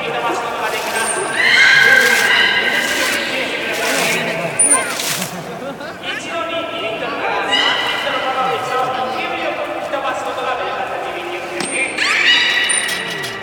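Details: Beluga whales during a public training session at Port of Nagoya Public Aquarium, 24 March 2018, 16:30 show; high whistles and harmonic squeals, some rising sweeps, over continuous crowd chatter and speech.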